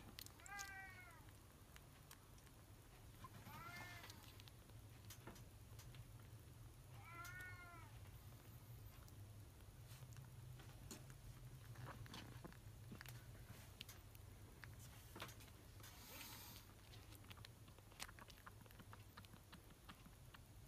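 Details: A kitten gives three high, thin mews that fall in pitch while being bottle-fed milk, then goes quiet amid soft clicks during a short break, seemingly close to falling asleep.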